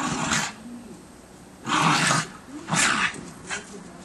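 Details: Two schipperkes playing in fresh snow in December 2008. Three short, rough, harsh bursts, each about half a second, are spaced roughly a second apart, with a softer fourth near the end. Low rumbling background.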